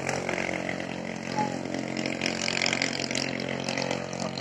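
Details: A loud, droning engine or power tool, much like a chainsaw, runs steadily throughout, with no animal voice.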